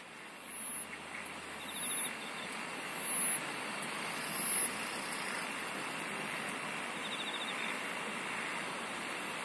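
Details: Insects singing: short high-pitched chirps repeating about every second and a half above a faint pulsed trill in the middle register, over a steady broad hiss like rushing water.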